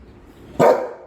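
A Golden Retriever gives one sharp, full-bodied bark that cuts in suddenly and fades quickly.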